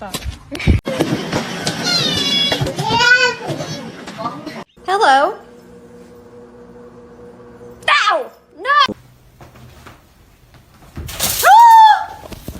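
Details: Domestic cat meowing indoors in a small room, several short arched meows that rise and fall, spaced a few seconds apart, mixed with human speech, including a child's voice, at the start.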